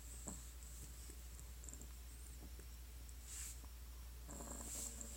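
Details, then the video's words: Hanako, a sleeping Pug-Bulldog mix, snoring: two raspy, breathy snores about a second and a half apart near the end, over a steady low hum with faint clicks. "パグブルの花子 いびきの巻"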